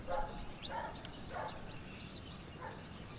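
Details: Kitten once found on the street, now a house cat, out on a street walk where even grass seems strange: four short, high, tonal mews spaced unevenly over three seconds, faint, with thin bird chirps and outdoor hiss behind.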